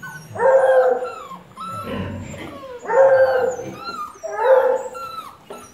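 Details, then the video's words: Treeing Walker Coonhound baying in three loud, rich, drawn-out howls about one and a half seconds apart, while birds chirp with quick sweeping notes in the background. "Treeing Walker"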